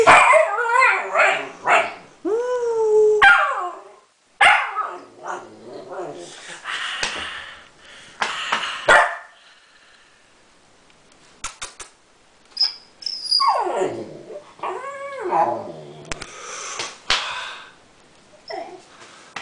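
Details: Siberian Husky puppy giving whining, yelping calls with rising and falling tones, mixed with short barks and yips, broken by pauses; quieter vocal sounds fill the middle stretch.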